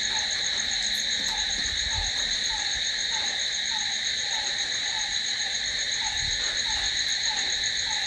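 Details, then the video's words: Crickets calling at night: a dense, unbroken high trilling chorus in several steady bands, with a lower short note repeating about every half second beneath it. "Cricket sound"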